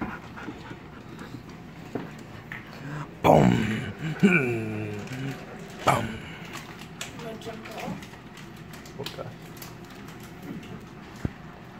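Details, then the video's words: Chowder, a male Golden Retriever behind a gate, greets his owner with excitement: a burst of high, wavering whines and whimpers around the midpoint, then softer yelps, with Spanish conversation throughout. "Chowder (Golden Retriever Boy) Is Still Excited To See Me"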